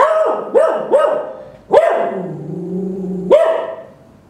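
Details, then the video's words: Dog named Roka barking in a quick series: three short yaps, then a longer drawn-out bark that sags and fades, followed by one more sharp bark. "Roka barking !!"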